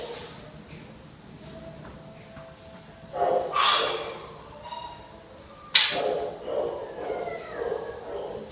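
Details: Amid distractions, the dogs Joey and Penny give a loud burst of barks partway through, then a sudden sharp bark followed by several quicker yips, with quiet talking and room noise between.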